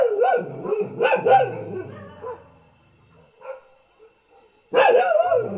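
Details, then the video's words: Everyday house dog barks in loud, somewhat yelping, wavering barks, a cluster at the start, a quiet stretch with a few soft notes, then an abrupt strong bark at the close. "เสียงหมาเห่า หมาบ้านๆ Dog Sound"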